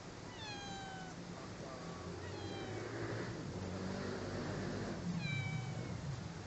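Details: Angora cat meowing: three drawn-out, falling meows, evenly spaced about two seconds apart, over a steady low hum.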